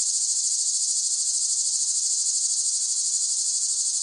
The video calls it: เสียงจักจั่น ฟังเพื่อผ่อนคลาย (Cicada Sound Effects)【セミの声】